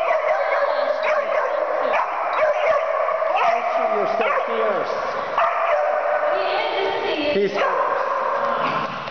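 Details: Percy, a puppy, playing fiercely: a steady run of high, strained yips and whining growls, pitch wavering up and down throughout, with a person's voice heard over the top.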